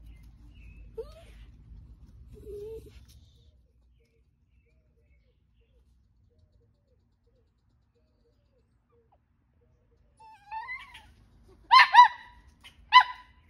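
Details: Italian Greyhound on squirrel patrol indoors: after a quiet stretch, a soft rising whine, then three short sharp barks about a second apart near the end.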